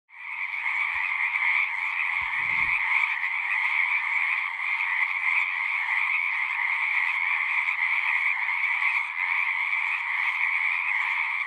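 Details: Frog chorus at a pond in a horse pasture, a dense continuous trilling din with bright bands near the top and middle of the range, steady throughout; a brief low thump near two and a half seconds.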